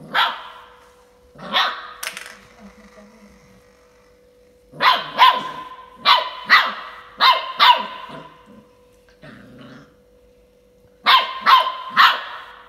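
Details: A 45-day-old female Saint Bernard puppy playing with a toy, giving short sharp yappy barks in bursts of two to five, with quieter growly grumbles between bursts and pauses of a few seconds.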